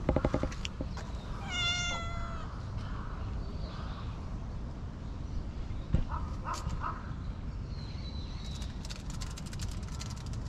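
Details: A brown-tabby-and-white cat gives one clear, slightly falling meow, as if talking to someone, followed by a few faint chirpy sounds, over a steady low rumble.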